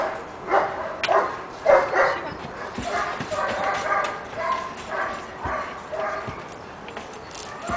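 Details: Six-month-old Giant Schnauzer puppy Shiva, pepper and salt coat, lets out loud, uneven yips and barks that come in bursts, louder at first and then softer, with faint human speech underneath.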